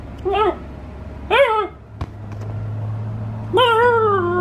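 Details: Alaskan Klee Kai named KK in happy moments utters three separate whining yowls, each bending up then down; the last is longest and steadiest. A sharp click sounds between them, and a steady low hum runs underneath.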